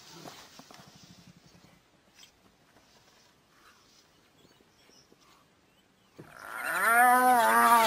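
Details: Spotted hyena threatened by wild dogs gives a loud, rich, wavering call that repeatedly rises and falls in pitch over its last two seconds, after several quiet seconds of faint rustling and low murmurs.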